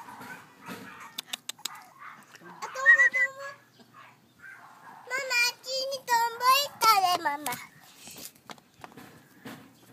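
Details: Brindle French Bulldog puppies, a male and a female born on 29 May, give high, quavering whines in two bouts, a short one near three seconds and a longer run of rising and falling squeals later, with faint clicks and rustling between.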